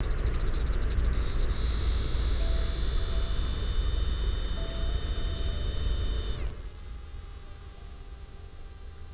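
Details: Kaempfer cicada recorded with a parabolic microphone: a continuous, high-pitched, piercing buzzy drone that holds steady, then jumps abruptly higher near the end and carries on without a break.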